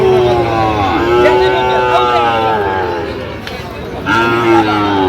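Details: At a cattle market in Jamalpur, Bangladesh, on 31 August 2025, Sahiwal bull calves moo: a sustained low bellow lasting about three seconds, a brief pause, then another moo starting, with faint market voices behind.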